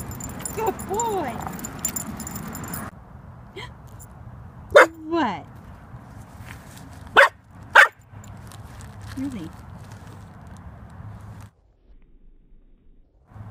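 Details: Impatient during leash-etiquette training, Obi, a blue merle Cardigan Welsh Corgi puppy aged 18 weeks, lets out a few sharp, loud barks and yips, three standing out in the middle, mixed with a few faint whines and his handler's encouraging voice.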